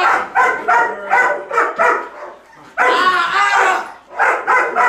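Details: Female Belgian Malinois in grip and bite training, barking on command instead of locking onto a threat, to appear more intimidating. Loud, harsh barks come in quick bursts, with a longer, fuller bark near the middle.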